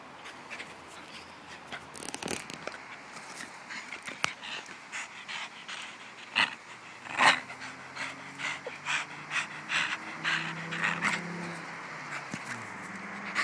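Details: Panting of a pet Jack Russell Terrier named Bruno, a run of breathy airy puffs at an uneven pace, roughly seventy per minute, with a few sharper clicks and a low steady hum underneath.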